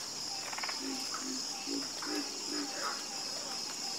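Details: A frog chorus: short, low, harmonic croaks that repeat irregularly at roughly two to three per second, over a steady high insect drone.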